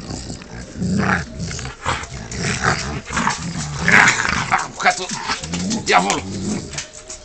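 A Rottweiler gives deep, rough barks and rumbling growls while people talk and shout nearby.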